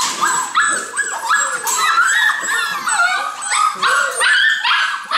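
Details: Golden Retriever puppies in a steady chorus of squeaky yips and whimpers. Short, bright cries tumble over one another with rising and falling tones, almost without pauses throughout.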